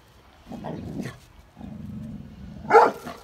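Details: Vinny, a Labrador Retriever herding cows and calves in Bangalore, Karnataka, India, filmed on an iPhone: two low rumbling growl-like stretches, then a single sharp bark near the end.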